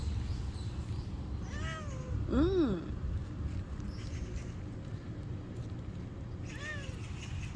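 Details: Husky-voiced, unnamed neighbourhood cat out again after the rain stopped, meowing outdoors: three arching, harmonic-rich meows, the loudest and longest in the middle, a shorter one before it and another near the end, over a steady low rumble.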